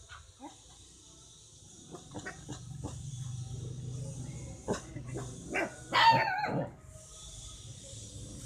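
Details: A puppy at a house with many dogs, meeting a stranger for the first time, gives short, irregular, yappy barks out of fear and confusion, over a low background hum.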